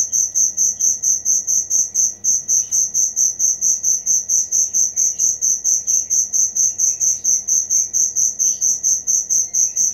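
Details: A cricket keeps up fast, even, high-pitched chirps, roughly three a second, in a continuous rhythm over a quiet low hiss.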